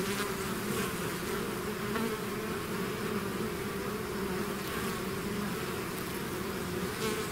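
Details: Bees swarming out of their hive fill the air with an unbroken, droning buzz, two steady humming layers underneath a hissy wash, loudness nearly flat throughout.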